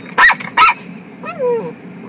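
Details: Pet dogs Sanshin and Sango, delighted on the day they meet their mama again. Two sharp, loud barks in quick succession, then a thin, wavering whine that rises and falls, over a low room hum.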